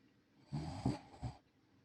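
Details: Senior rescue Shiba Inu snoring while asleep in the countryside: one snore lasting nearly a second, a low rough rasping breath with two or three pulses, then quiet.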